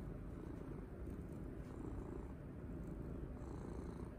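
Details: Pet cat being stroked and cuddled, purring loudly with enjoyment; a continuous low, even rumble runs throughout, with faint background hiss only.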